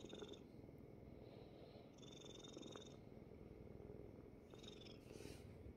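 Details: Purring Korean Shorthair kitten, once rescued from a construction site, lying on dad's belly indoors; continuous low, even rumble with a few soft high tones drifting over it.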